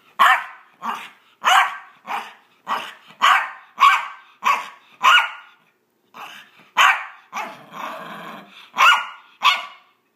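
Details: Maltese dog playing fetch indoors, making playful vicious-sounding noises: a run of short, sharp, high barks roughly every half second, with a rougher growling stretch near the middle and a brief pause partway through.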